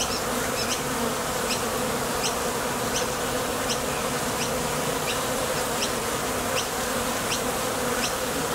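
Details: A thick, unbroken drone of honey bees at a Top Bar Hive entrance as they head out for nectar and return. Faint high chirps recur at a regular pace beneath the buzz.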